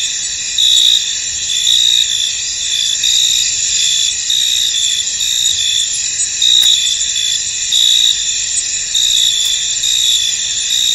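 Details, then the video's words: Many crickets chirping in a misty field, a continuous high buzzing wash with brief brighter trills recurring roughly every second, uneven in spacing, against an otherwise quiet background. "Tranquil Cricket Sounds In An Misty Field"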